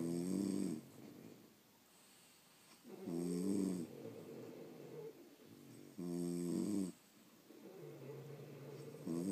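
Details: Snoring from sleeping French Bulldogs at home: three loud, grating inhaled snores about three seconds apart, alternating with lower, drawn-out breathy exhales in a quiet room.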